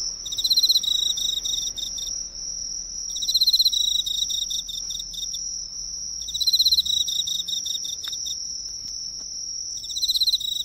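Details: Close-up Emma field cricket at a drugstore light nearby, producing trilling bursts of fast pulses, each around a second long, separated by brief gaps, with a steady high whine running underneath.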